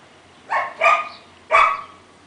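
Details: A dog barking three times, sharp bright barks, two close together then a third after half a second, in a quiet setting.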